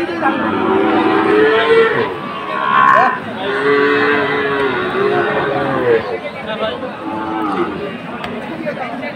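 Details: Sahiwal bull calves for sale at a Chattogram cattle market on 22 October, several sustained moos following one another over nine seconds amid busy chatter of buyers and sellers.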